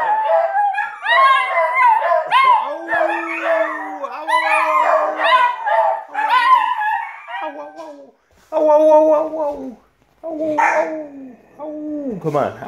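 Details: Three dogs, a puggle, a rat terrier and a dachshund-pug mix, howl together over uneaten food while their owner joins in to encourage the youngest. Long wavering howls with rich overtones overlap, and a steady lower human howl runs beneath.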